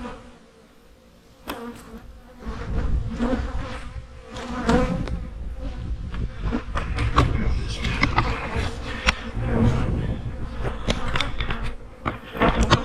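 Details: Loud buzzing of honey bees in fall hives, a dense low hum that swells after a quiet opening, mixed with frequent clicks and knocks of hive work.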